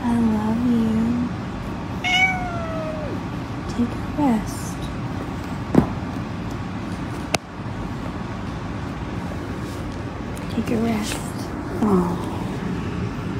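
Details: British Shorthair kittens getting sleepy, giving a few short, thin mewing calls, some rising then falling, spaced several seconds apart over a steady low background hum.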